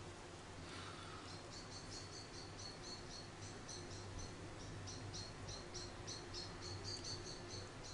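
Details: Orphaned baby grey squirrel Charlie, being hand-reared after falling from his garden nest at about a week old, repeats high, sharp squeaks roughly three per second in a steady run, against a low indoor hum.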